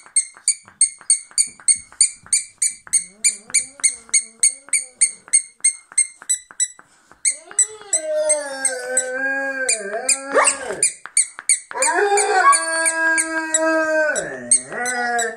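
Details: Rhodesian Ridgebacks "singing a song": after a run of regular high-pitched beeping pulses, the dogs break into long wavering howls that slide up and down and overlap, ending in a dipping, drawn-out howl.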